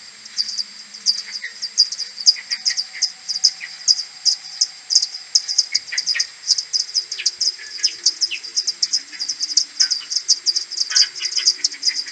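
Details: Common pipistrelle maternity colony heading back to the roost in the morning of 21 May, recorded with an AudioMoth 1.1 at tenfold slowed speed: steady rapid high pulses with intermittent lower chirping notes.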